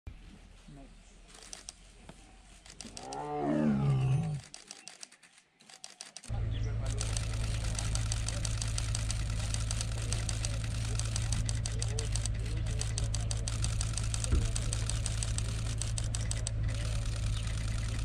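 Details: Wild male tiger in Tadoba National Park, Chandrapur, Maharashtra, India, giving one deep, throaty roar that swells over about two seconds. After a brief silence, a steady droning hum with rapid clicking follows.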